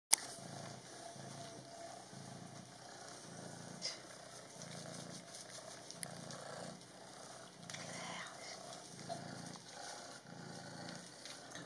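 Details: Leoś, a Maine Coon cat, purring while being bathed and rinsed indoors; a low rhythmic purr pulses roughly every second under running water hiss, with a woman's voice speaking softly.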